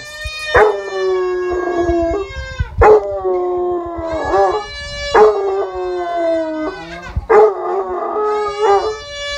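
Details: Several Basset Hounds howling in response to a crying baby: long, wavering tonal howls that slide downward, broken by sharp rising yelps roughly every two seconds.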